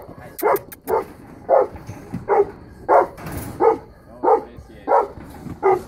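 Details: Female Saint Bernard, three years old, on guard duty, gives steady booming barks roughly every two-thirds of a second, about nine in all, with faint clicks early on and little else behind them.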